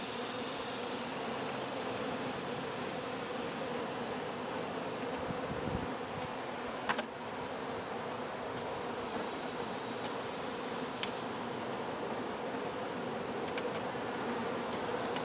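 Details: Honey bees buzzing during a hive removal: a dense, continuous swarm hum throughout, with brief knocks and clicks near the middle.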